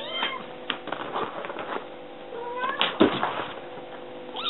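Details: Kitten calling for food indoors, climbing a counter; short, fairly faint rising and falling meows among clattering, thumps and household noise, with a louder upswept meow at the very end.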